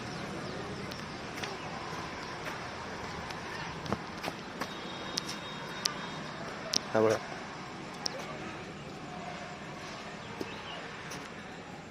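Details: Steady outdoor hiss with scattered clicks and taps and one brief voice-like burst, with no clear animal call.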